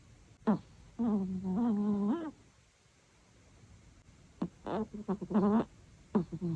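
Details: A male Chihuahua snores loudly in tuneful, humming tones that waver up and down like a little melody.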